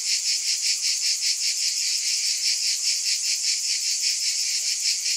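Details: Unbroken shrill buzzing from cicadas, throbbing in regular waves roughly every 0.4 seconds, the hiss holding at an even loudness throughout.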